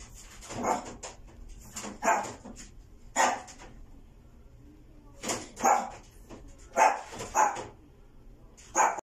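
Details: Female white Maltese dog, born 29 August 2020, giving sharp, high yappy barks, singly and in quick pairs, about eight in all with irregular pauses and a quiet gap in the middle; faint low room hum beneath.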